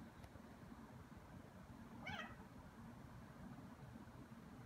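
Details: Ragdoll cat about two and a half years old, indoors, playing with and pestering a bug; a single short meow around two seconds in, rising then falling, over a steady low background hum.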